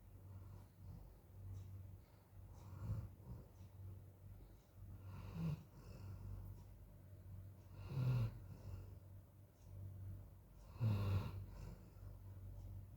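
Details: Golden Retriever dog sleeping indoors, worn out after very hot weather outside, snoring: low rumbling breaths with louder snorts roughly every three seconds over a steady low hum.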